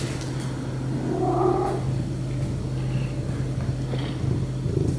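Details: Contented cat purring with an even, low rolling rumble that never breaks, plus a short soft vocal murmur early on.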